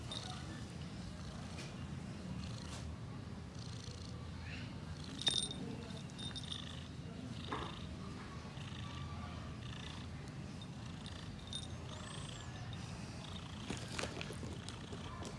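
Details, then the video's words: Female cat purring contentedly while her ears are cleaned during grooming, later falling asleep; a steady low rumbling purr runs unbroken throughout, with faint soft clicks and scraping from the grooming. "Satisfied Grooming Cat Ear clean | She Fell Asleep"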